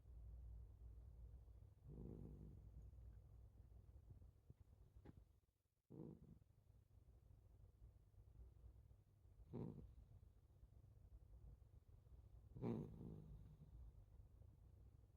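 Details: Sleeping calico cat snoring: soft low rumbling breaths with louder snore bursts roughly every three to four seconds, otherwise a quiet indoor hum.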